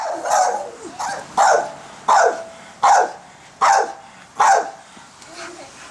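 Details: Backyard pit bull, female, barking at people playing with giant bubbles: seven strong, gruff barks in quick succession, spaced under a second apart, over faint background noise.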